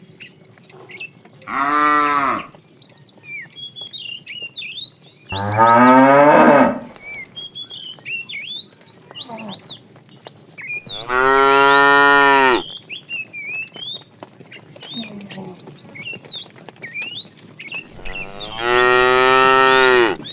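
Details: Tame cattle herd on a long walk toward fresh pasture: four loud harmonic moos, each lasting about one to one and a half seconds, spaced several seconds apart, with chirping birds twittering throughout the background.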